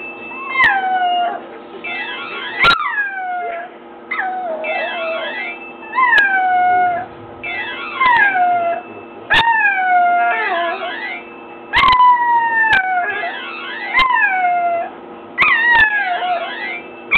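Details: Chewy, a puppy about nine weeks old, howls at a phone ring tone: rising and falling drawn-out wails with whimpering tones weave between repeating electronic melody phrases, sharp clicks scattered throughout.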